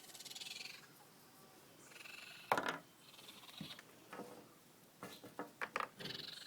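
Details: Baby raccoons from a family living under a house deck, giving soft purring and chittering bursts, then a quick series of sharp, clicking chirps near the end; faint background hiss throughout.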